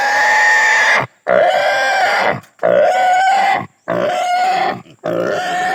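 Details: Castration of a native pig; the animal squeals in loud tonal bursts about a second long, pitch wavering slightly upward within each cry, with brief silent gaps between.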